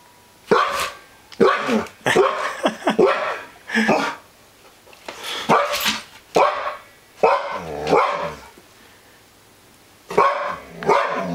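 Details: Bristol, a female husky, barks at a newly brought home elk mount she distrusts; sharp barks and yips in irregular bursts separated by short pauses, with a man's voice encouraging her.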